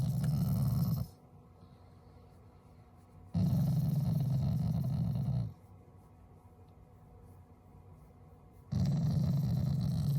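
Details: Shiba Inu, a family pet, growling affectionately at its owners rather than in anger: deep, rumbling growls lasting about two seconds each, three bouts separated by quiet pauses in a calm indoor setting.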